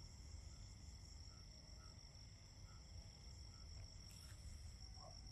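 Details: A fall cricket chorus forms an unbroken high-pitched ringing trill, held evenly throughout, with a soft low rumble underneath and occasional faint brief notes at a lower pitch.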